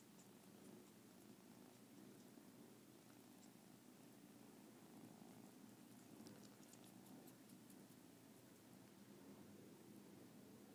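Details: Continuous low purring from a pair of kittens as the bigger one sucks the little one's ears, a soft even rumble with faint ticking and rustling noises above it.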